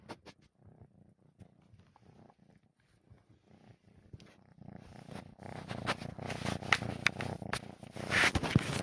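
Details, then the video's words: Kitten asleep and snoring as its paws twitch; a faint low breathy rumble at first, then louder and noisier from midway with rustling and brief sharp clicks over the continuing snore. "котенок храпит и двигает лапками"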